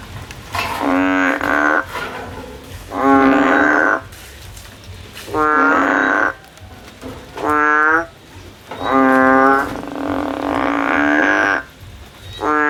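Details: Male frogs calling in the field, more than one voice overlapping: a steady series of loud, nasal, harmonic calls about a second long, repeated every one to two seconds with brief gaps.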